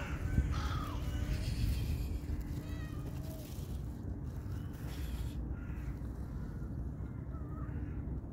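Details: Cats eating chicken stock on a cold day; a few short meows rise and fall early on over a steady low hum and background noise.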